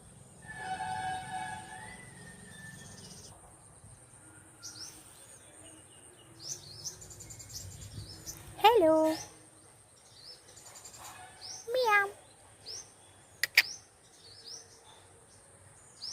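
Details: Small kitten coaxed to eat in the evening while a woman talks in Telugu; several sharp descending meows spaced a few seconds apart, between background bird chirps, a soft hum and speech.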